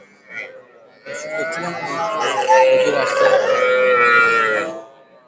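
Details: Young cattle, small bulls and heifer calves, at a cattle market in Narail on 18 May 2024: a drawn-out, harmonic moo lasting nearly four seconds, swelling then fading, with a brief human voice just before it.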